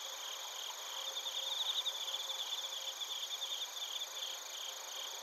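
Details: Night insect chorus of crickets from Narita, Chiba, Japan, recorded on a TASCAM Portacapture X8: sustained high buzzing trills with a pulsing chirp sequence in the middle, a faint low tone underneath.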